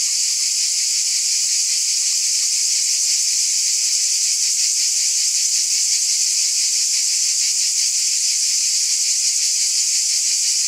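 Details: Cicadas chorusing on a summer night: a dense, unbroken high hiss-like buzz with faint rapid pulsing, steady in loudness throughout, no other sounds.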